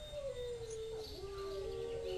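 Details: Wolves at a wild animal sanctuary howl around 7:10 pm at dusk with a little light left, in long, smooth, slowly falling tones, a second voice overlapping near the end, as crows fly off, birds sing and a peacock calls.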